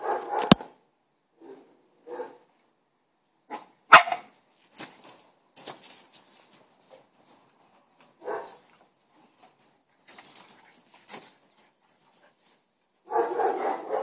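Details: A Boston Terrier gives scattered short barks and grumbling yips at irregular intervals, apparently provoked as neighbours' dogs were barking.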